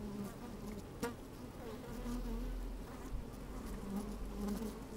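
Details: Honey bees working in an opened hive, sunny with a little wind: a deep, rumbling hum with a sharp tap near the start, wavering buzz tones and low wind rumble underneath.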